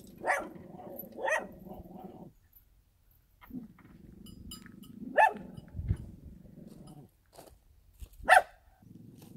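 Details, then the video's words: In the countryside, a dog barks twice in close succession, goes quiet, then gives a low rumbling stretch with two loud isolated barks a few seconds apart. "개 짖는 소리"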